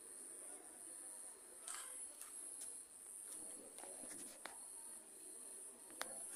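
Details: A cricket gives a steady, very high-pitched trill at night during a lightning storm, with faint crackles behind it.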